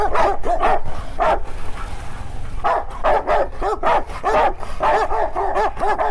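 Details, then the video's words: Domestic Rottweilers trading vocal sounds that could be fighting or talking: runs of short, rising-and-falling grumbling yowls, about two per second, with a pause near the middle and a low rumble underneath. "Rottweilers fighting or Talking"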